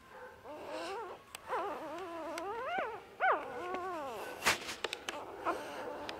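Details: Shiba Inu puppy whining: a series of high, arched, whistled whimpers, each rising then falling, about five in a row, followed by a few sharp knocks and clicks.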